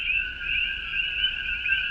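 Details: Male coqui frogs, endemic to Puerto Rico, call at night on a cool evening of about 68 degrees, quieter than in summer. A steady overlapping chorus of high, ringing tones holds two pitches throughout with no pause.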